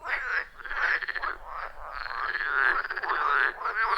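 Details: Chorus of wild frogs at a quiet forest pond, recorded on an iPhone 14 Pro with Shure MV88+; dense, loud, buzzy pulsed croaks overlapping continuously, rising and falling slightly in pitch.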